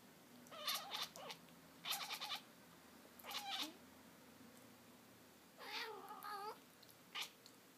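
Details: Black-and-white cow cat chattering indoors: quick stuttering bursts of clicky, bleating chirps in short clusters, about five bursts, one longer warbling chatter near six seconds, over a steady low background hum.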